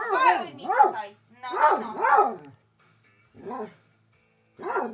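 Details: Basset hound being told to stay, giving repeated bays: short arching barks, two pairs close together and then two single calls spaced a second or more apart, with silent gaps between.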